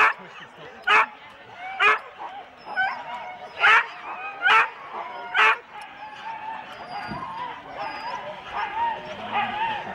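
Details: Four-dog Husky teams waiting at the start in Rendlesham, January 2016, recorded on analogue cassette: loud sharp barks about once a second over the first half, then a steady background of yelping dogs and people talking.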